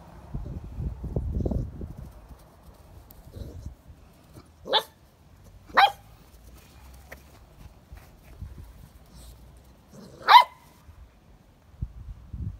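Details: English Springer Spaniel, a pet dog, giving three short, sharp single barks spaced a second to several seconds apart, with quiet rustling and low handling noise between them.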